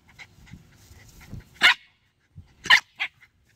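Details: Shiba Inus screaming at a snake: harsh, high-pitched screams in short, shrill bursts.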